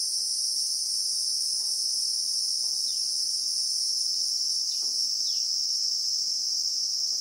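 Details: Real-time Christmas beetle (Anoplognathus) sound from South African acacia bushveld: a constant high shrilling in stacked bands, with occasional faint, short downward bird chirps and soft knocks beneath.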